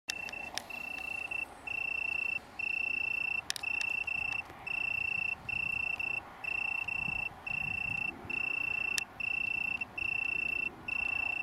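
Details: Italian tree crickets (Oecanthus pellucens) from a small colony on downland near Brighton, UK, on 21 September 2019: steady high trilled bursts about a second long, separated by brief pauses, repeating evenly over faint background hum.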